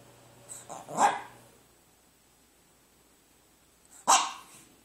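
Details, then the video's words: Sara, a pet dog, barks at her food. Two sharp single barks come about three seconds apart, each led by a brief soft huff, with quiet in between. "Sara barking at her food..."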